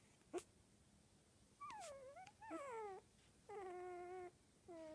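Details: Puppies 19 days old, a Cockapoo and Pomeranian mix from a black cockapoo mother and blue merle Pomeranian father: one sharp yelp, then four drawn-out tonal whimpers, some falling, some rising, each up to a second, in a quiet room.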